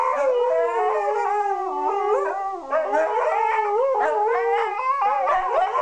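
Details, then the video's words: Two Siberian Huskies singing their daily duet, an enjoyed routine; quick, wobbling howls rise and dip in rapid undulations, the two voices overlapping throughout. "Siberian Huskies singing a duet"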